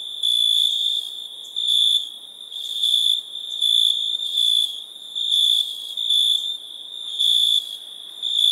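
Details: Nighttime crickets produce a bright, piercing, tonal trill in pulsing bursts, some short and some nearly a second long, spaced irregularly with softer stretches between them.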